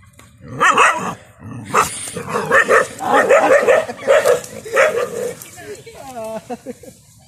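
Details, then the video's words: Several dogs fighting a water monitor in a village field bark in a dense, excited run of overlapping yelps, about one burst per second, trailing off into a short whining wail at the end. "dogs and water monitor fight || heavy battle"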